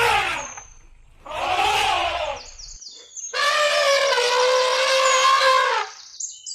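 An elephant gives two rough, brassy blasts, then a long, loud, harmonic trumpet lasting about three seconds. Faint high chirps sound in the background.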